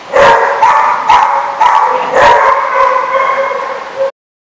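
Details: Dog barking at a lot on 10/5/15: strong, tonal barks repeat about twice per second, each flaring then holding a steady, ringing pitch. The barking runs continuously for four seconds before stopping abruptly into silence.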